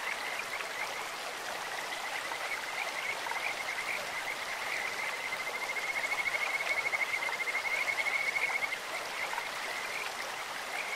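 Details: Kajika frogs calling in a clear stream: a high, whistled trill held steady at one pitch for several seconds, swelling in the middle and fading, over a constant rushing of flowing water.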